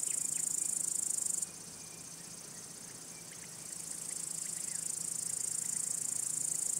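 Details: A steady, piercing high trill from male crickets, a signal to attract or court females or warn off rival males, thins for a couple of seconds mid-clip and then swells back, with scattered faint chirps.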